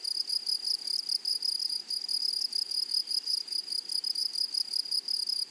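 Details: Meadow grasshoppers among flowers sing a continuous bright, sizzling trill of fast pulses with a faint higher overtone. It holds at an even level throughout, with a quiet natural backdrop.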